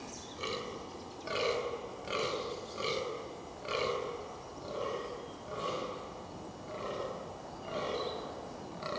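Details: Fallow deer in the rutting season, wild in the New Forest, Hampshire, England: a run of deep, belching groans repeated roughly once a second for the whole stretch, each a short rough burst with no other clear sounds.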